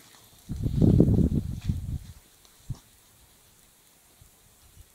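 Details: Belgian Malinois puppy growling while playing tug with a rope: a low, rough growl lasting about a second and a half, followed by a couple of shorter grumbles and quiet rustling.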